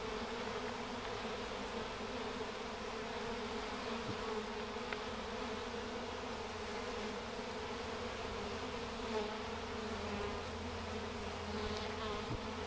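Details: Swarming honey bees entering a hive box, wings fanning to spread the queen's pheromone; steady low drone with a deeper hum swelling in the background and faint scattered ticks.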